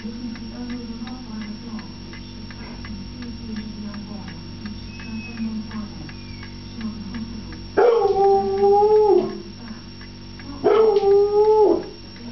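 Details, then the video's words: Ralph, a foxhound, howling because he wants his food: after a stretch of low background hum, two loud drawn-out howls rise sharply and then hold level, each lasting over a second, about three seconds apart. "Ralph - howling fox hound"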